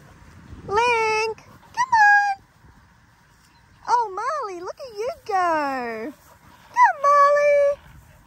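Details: Linc, a baby Australian cattle dog, at playtime with bigger puppies in a paddock: a run of tonal, yodelling whines and yelps, some wavering up and down, others sliding downward, in four bursts with short pauses between.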